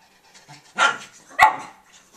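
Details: Two abrupt, harsh yaps from Tobey the pug puppy with his bone, the second sharper and more clipped, over a quiet background.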